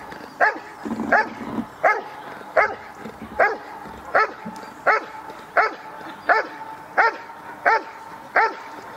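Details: Barking dog at the NIK 2016 trial during protection work: ten short, hard barks in a steady rhythm, one about every 0.8 seconds, with a continuous hum and faint voices behind.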